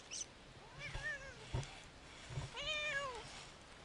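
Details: Siamese cats Otani and Yozora off-leash on a three-hour hike through a wild forest; two drawn-out harmonic meows, the first rising and falling near 1 s, a louder arched one around 2.7 s, with soft footsteps and rustling between.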